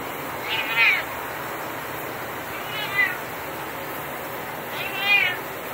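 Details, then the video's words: Unhappy cat at shower time, which he really hates, makes three short plaintive meows about two seconds apart, each quivering and falling, against a constant hiss of running shower water. "Cat hates shower time"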